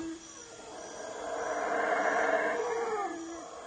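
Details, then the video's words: Howler monkeys give mournful cries that break the silence of the forest at the Waka ruins in Guatemala: a drawn-out, swelling roar that builds to a loud middle and then fades, with a steady background hum. "ความเงียบสงบถูกทำลายลงด้วยเสียงร้องโศกเศร้าของลิงฮาวเลอร์เท่านั้น"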